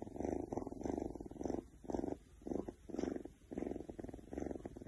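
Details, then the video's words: Purring Oriental Shorthair cat Keks, feeling good: distinct rumbling bursts separated by short quiet gaps as the cat breathes in and out, about two phrases per second-and-a-half, close and clear. "Oriental Shorthair Cat Keks Feels So Good with Purring"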